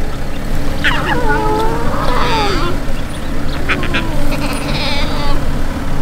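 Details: Hungry lion cubs in Maasai Mara, Kenya, near their lioness, whine with thin, wavering, nasal mews that fall in pitch, several voices overlapping.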